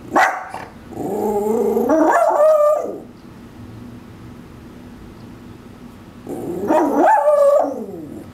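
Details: Male Shih Tzu Maltese mix in a backyard, protesting at something beyond it with warbling vocalizations: a sharp bark-like onset followed by a rising, wavering two-second moan, a pause of about three seconds, then another similar wavering moan.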